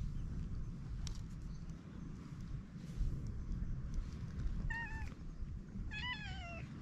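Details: On a cat island, a stray cat greets a friendly man, captured on a GoPro HERO8; after quiet outdoor hum, a short meow sounds, followed a second later by a longer wavering, descending meow.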